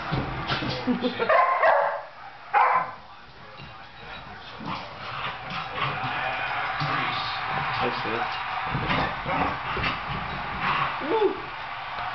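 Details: Soft Coated Wheaten Terrier Henry, eight months old, romping with Taffy around a couch; a couple of sharp loud barks early on, then softer yips and growly play noises beneath ongoing human speech.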